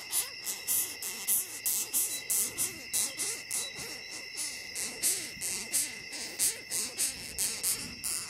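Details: Longhorn beetle giving a steady series of short, scratchy, hissing pulses, about one and a half per second, with a faint continuous high whine behind them.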